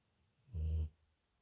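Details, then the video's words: Pet dog snoring in its sleep, recorded May 28th, 2021: a single low rumbling snore lasting under half a second, deep and steady, in a quiet room. "My dog snoring"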